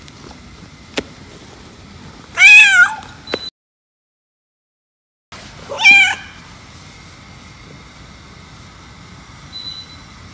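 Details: Jealous-cat scene, a white cat and a black cat with the owner petting the black one: a pet cat lets out two clear, wavering meows separated by a silent break, with a few faint taps and low background hum.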